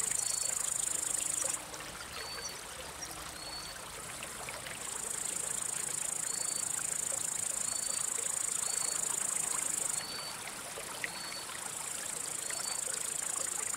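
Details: High, continuous buzzing trill of a male cricket, which sings by rubbing its wings to attract or court a female or warn off rival males. The trill breaks off twice, and short, faint rising whistles recur throughout.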